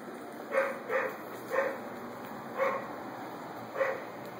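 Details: A neighbor's dog barks at a moderate distance, five short, rough barks spaced irregularly over four and a half seconds, roughly one each second, while a constant thin high-pitched whine hangs in the background.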